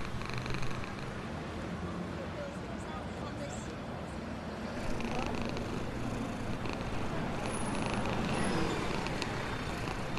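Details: Happy black homeless cat living in a box near a store, purring while being fed; a steady low rumbling purr runs throughout, with human voices and distant road traffic in the background.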